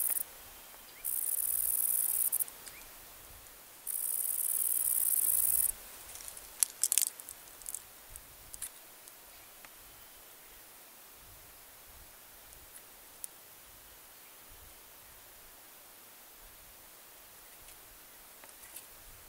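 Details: Kerik meadow katydid (Conocephalus melaenus) producing two loud, very high, hissing buzzes, each lasting about one and a half seconds. They are followed by scattered faint ticks and clicks over a quiet background.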